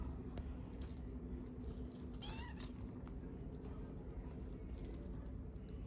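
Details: Hungry stray kitten in Istanbul, one of several orphaned kittens begging for food, gives a single short arched meow at about the middle of the clip, with a low steady hum and background rumble throughout.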